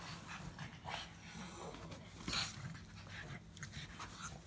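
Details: Pug making a grumble, heard as short snuffling, raspy exhalations with low throaty texture and one sharper snort near the middle, a soft constant hum underneath.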